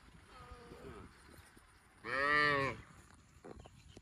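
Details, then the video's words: Cow giving one loud, short harmonic moo lasting under a second, preceded by a fainter, wavering call and followed by a few quiet sounds over a low background rumble. "Funny cow sound video"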